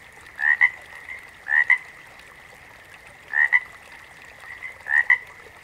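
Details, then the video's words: Frogs calling in a backwater chorus: a loud two-part croak, a short rising rasp then a sharp click, given four times in under six seconds over a steady, ringing drone of more distant frogs. "FROGS - Pig Frogs, Water Frogs, Backwater Chorus, & Frog Chorus"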